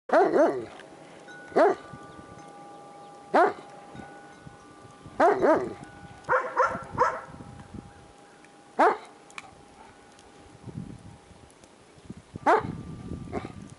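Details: Kimber, a paraplegic Shiloh Shepherd with anal sac carcinoma, outdoors in snow in a homemade cart, barking at dogs she sees: single sharp barks spaced a few seconds apart, with faint wind-chime tones ringing between them.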